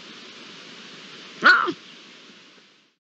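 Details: Iberian lynx call recorded on 27 April 2022, a single short wavering, yowling note with a descending harmonic sweep, lasting about a quarter second, over a faint background hiss.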